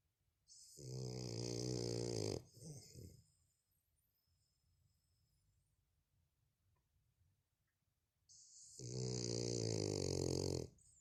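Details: A French bulldog asleep indoors, snoring. Two long, rasping, buzzy snores, each nearly two seconds, come about six seconds apart, with soft breathing between.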